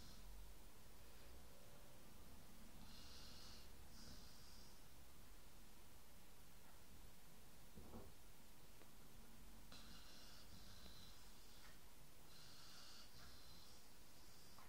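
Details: Dog snores in slow cycles, hoarse hissing breaths clustered in pairs, then a long quiet stretch before further rasping inhales resume, low rumble throughout.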